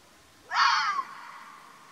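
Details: Wild Arabian fox in Oman gives one loud, hoarse, breathy scream of about half a second. It starts abruptly, then drops away into a fading tail over a quiet natural background.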